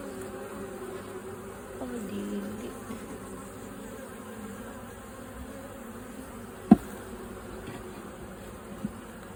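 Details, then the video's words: Swarming bees from a home colony dividing between two rival queens: an unbroken, low, even buzzing drone fills the recording, with one sharp click midway and a softer tap near the end. "I heard a noise of bees"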